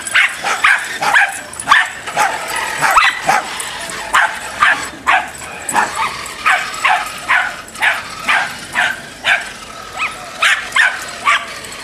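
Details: A Dachshund in a bout of road rage barks in sharp, short bursts, roughly two per second and fairly steady, over a constant low rumbling hum.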